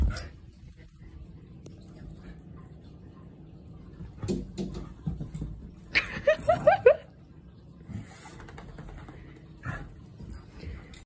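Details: Border collie and German shepherd fighting for dominance: a burst of four or five quick, high, falling yelps in a row near the middle, surrounded by scuffling thumps and faint low growling.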